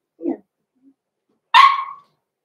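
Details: Blenheim Cavalier King Charles Spaniel puppy, one of six-week-old littermates Roman and Blue born November 14, 2022: a soft low grumble, a brief pause, then a single loud, bright bark that trails off.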